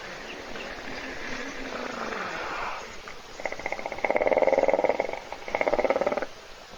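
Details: Hippopotamus asleep and snoring in a puddle at a webcam-watched waterhole in a South African reserve by Kruger National Park, other animals waiting to drink; rasping pulsed bursts, two long rattling snores near the end, rural background hiss.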